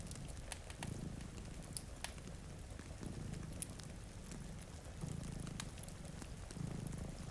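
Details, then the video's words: Low, throbbing purring from domestic cats asleep by a rain-streaked window. The soft rumble rises and falls under sharp fireplace crackles and constant rain patter. "Purring Cat"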